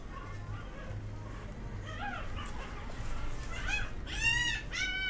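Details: A female Golden Retriever puppy born 10 December gives high, thin whimpers and squeals that rise and fall in quick bursts.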